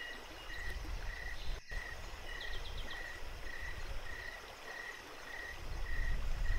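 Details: Crickets at night by a flowing creek at Jacobs Creek, giving steady high chirps about every 0.6 seconds over a loud, low rush of water, with a short run of higher ticking notes partway through.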